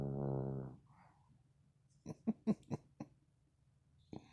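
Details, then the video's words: A dog asleep and snoring: a low, drawn-out rumbling growl at first, then a burst of four or five quick, rhythmic snorting pulses and one last snort after a pause, in a quiet indoor room. "Lady Dog Snoring"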